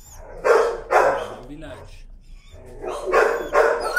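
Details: Leash-shy timid dog protesting on a walk: two pairs of loud, raspy yelping screams separated by a quieter stretch where a person speaks.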